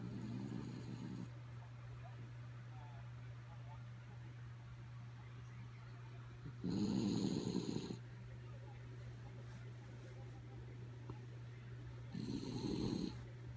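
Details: Kaya Boo, a sleepy dog, snores in three rough, breathy rasps lasting about a second each, roughly six seconds apart, over a steady low electrical hum.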